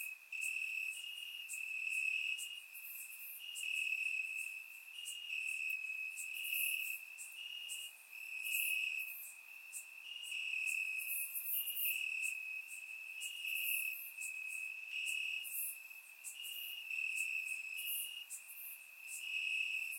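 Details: Bulgarian summer night, warm, crickets chirping in grass, recorded with a surround microphone: many overlapping shrill trills forming a constant ringing tone that pulses in volume, topped by frequent brief higher-pitched insect chirps.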